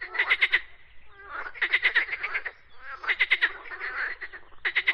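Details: Rapid pulsed frog croaks, bright rattling trains grouped into bouts about every one and a half seconds, with brief quieter gaps and overlapping callers.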